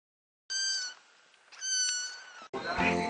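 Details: Cat family gathering at feeding time and crying for food: two clear, tonal, slightly falling meows with bright harmonics, each under half a second, followed by a harsher, noisier vocal burst.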